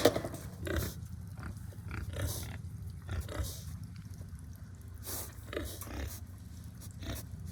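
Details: Hungry farm pigs grunting in short, low, rough bursts spaced about a second apart, fairly quiet against a steady low rumble.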